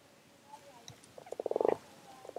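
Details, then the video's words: Frogs gathered in numbers at WWT Castle Espie, one giving a fast train of short pulsed croaks that swells in loudness, then stops, with fainter croaks before and after. "Frog Chorus"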